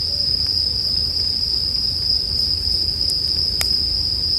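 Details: Steady high-pitched ringing from bell crickets accompanies a campfire in a relaxing sleep mix. A couple of louder wood pops break in near the end.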